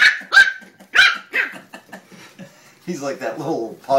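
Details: Playing terrier puppies from Toomevara Terriers romp with a child named Maeve indoors; several sharp high yaps in the first two seconds, then people talking over the scuffle, a final yap at the end.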